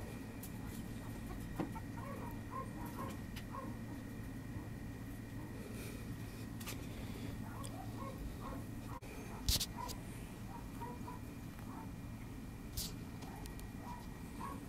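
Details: Puppies twenty days old, eyes just opened, filmed on 18 December: faint high squeaky whimpers scattered through the clip over a steady low hum, with a brief sharp knock near the middle.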